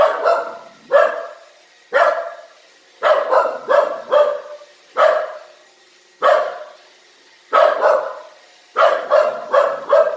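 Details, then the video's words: Domestic dog uneasy about a newly arrived robot vacuum, barking repeatedly: loud punchy woofs in irregular bursts, single and in quick runs of three or four, over a low constant machine hum. "IRobot Roomba works great except for the barking dog!"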